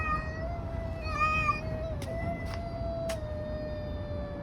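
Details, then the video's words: Street cats fighting, a long steady yowl held level with strong harmonics throughout, a higher wavering wail over it near the start, a few sharp clicks, and low background rumble. "Cats fighting on the street making strange noises. Cats Fight"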